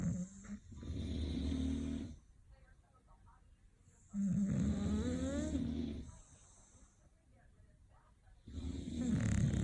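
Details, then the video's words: English Bulldogs, named Papa Hen, Opie and Lilly, snoring: long low rumbling breaths of about two seconds each, with a wavering nasal whistle riding on top, separated by quiet pauses. "Snoring Bullies"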